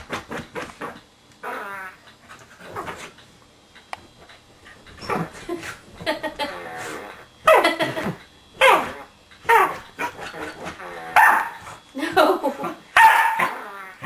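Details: A female corgi attacks a remote-control whoopie cushion hidden under a sofa cushion, letting out bursts of excited barks, grumbles and yelps in a small room.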